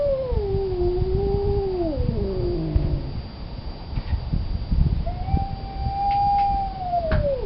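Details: Male cat in heat calling for a fixed female: a wavering, falling moan sliding into a low groan, a quiet gap with small knocks, then another sustained howl that drops at the end.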